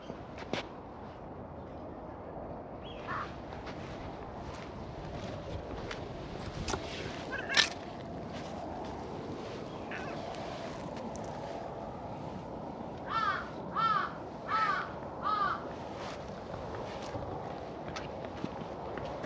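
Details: Cream-coloured community cat in a park calling over its ginger tabby companion, a New Year greeting: after quiet outdoor ambience with scattered footsteps and small knocks, four short, clear, arching meows come in a quick run, roughly every 0.7 seconds.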